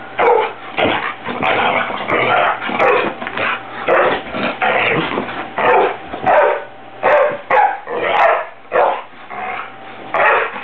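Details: Pet dog indoors barking at someone fluffing pillows, which it dislikes: a rapid, irregular run of short, sharp barks, roughly one and a half per second, with brief gaps and no other clear sounds.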